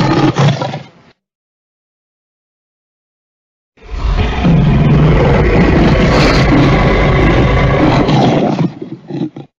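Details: Lion roar in two parts: a short deep burst, a pause of silence, then a long rough, rumbling roar lasting about five seconds before fading.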